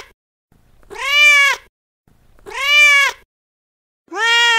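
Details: Male street cat giving a loud mating call to a female: long, arching meows roughly every one and a half seconds, each rising then sagging in pitch, bright and strongly harmonic, with a faint low rumble before each cry.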